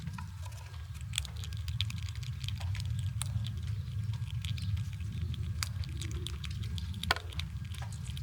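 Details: Winter squirrels gnawing on nuts, giving quick crisp crackles and snaps in an uneven stream, set against a heavy low-pitched background hum.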